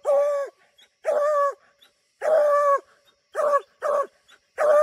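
Bluetick Coonhounds give loud, drawn-out tonal barks, repeated in an uneven rhythm, as they bark treed.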